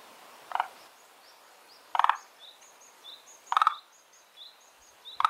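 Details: Frog from a garden pond home to two kinds, giving short pulsed rattling calls about every one and a half seconds, while birds whistle and chirp softly in the background.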